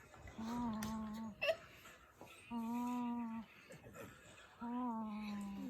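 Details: A 10-week-old French bulldog puppy named Mandu, asleep with his eyes open, snores in three long, steady tonal drones of about a second each, separated by quiet pauses, indoors in a small room.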